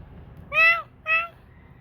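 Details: Formerly a street kitten, now doing better indoors, it gives two quick meows in close succession, the first longer and bending downward, the second shorter and flatter, with a faint background hum.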